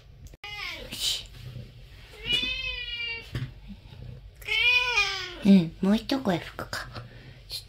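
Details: Talkative one-eyed stray cat that comes and goes through a porch entrance; two long wavering meows followed by short, rapid chirping mews, with human speech and light room noise in the background.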